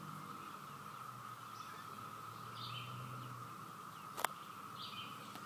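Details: Continuous cicada chorus, an even mid-pitched drone that sounds like a waterfall, with a few faint bird chirps, a low rumble, and a sharp knock near the end.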